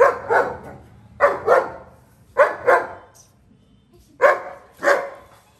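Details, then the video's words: Shimba, a long-coated German Shepherd, barks while playing with his best buddies: paired barks in four bursts roughly every second and a half, sharp and mid-pitched, with little else in the background. "The king 👑Shimba playing with friends"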